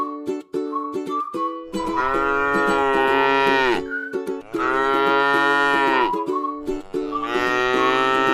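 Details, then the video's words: Resting in a rice field, tame cattle moo twice in long, full-throated calls of about two seconds each, and a third moo begins at the end. Light plucked ukulele music runs throughout. "suara sapi lucu jinak yang sedang istirahat di sebuah ladang sawah yang indah"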